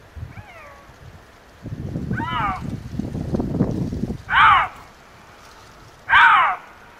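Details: A young male Eurasian lynx (Lynx lynx) calls in the mating season: drawn-out, meowing calls that arch up then fall, the last two loud and harsh.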